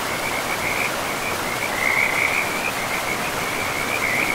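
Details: Beside a forest river among mossy trees, frogs keep up a continuous run of quick pulsed trills at one fairly high pitch, strongest mid-clip, while the river roars steadily underneath.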